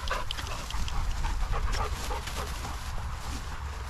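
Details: Long-haired German Shepherd Ozzy, six months old, out with Max in a paddock on a sunny day, filmed on a GoPro 10; quick breathy panting bursts, roughly three or four per second, under steady wind noise.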